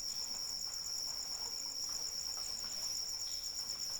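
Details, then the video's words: High cricket chirping in rain, the upper trill broken into fast, evenly spaced beads about a dozen per second above a steady lower tone, with a soft hiss of rainfall underneath. "Suara Hujan dan Jangkrik Pengantar Tidur"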